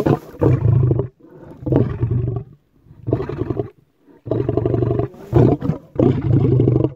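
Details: Lion roaring in a series of five loud, rough, deep bursts of about a second each, broken by brief silences, with no other sounds.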